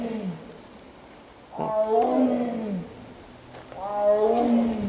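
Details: Tiger at Veszprém Zoo, Hungary, roaring loudly ('aú aú') after the cubs were shut in, understood as wanting to go in. Three drawn-out, moaning harmonic calls, each sliding downward in pitch, separated by short pauses.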